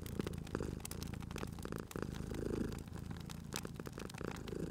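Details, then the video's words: Sleeping cat purring next to a crackling fireplace in cozy spring ambience; soft, low continuous rumble with irregular swells, mixed with bright crackling and popping of burning wood. "Cute Purring Cat at a Crackling Fireplace"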